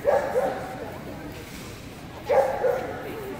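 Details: Keeshond barking in pairs of quick, sharp yaps, two doublets spaced about two seconds apart, recorded at the Rocky Mountain Keeshond Club 2019 juniors event amid background conversation.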